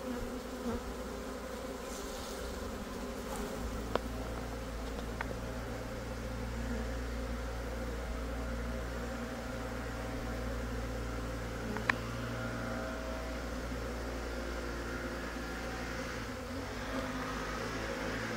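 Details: Italian honey bees swarming from a backyard hive in southeast Texas: a steady, dense buzzing drone with low hum bands throughout, a few faint clicks and ticks, and a low rumble underneath.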